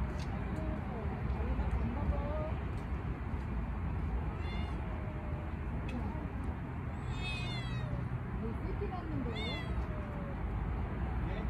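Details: Stray tortoiseshell cat outdoors during a failed feeding with canned tuna, giving several short rising-falling meows around seconds four, seven and nine over steady low traffic-like rumble and a person's voice.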